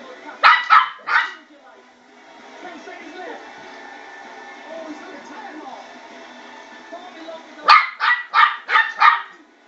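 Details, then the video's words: About 12 weeks old, a Westie puppy yaps at a spinning bowl: a rapid trio of sharp barks, then several seconds of rattling and rumbling from the bowl, then a burst of five quick barks. "Westie puppy barking at spinning bowl"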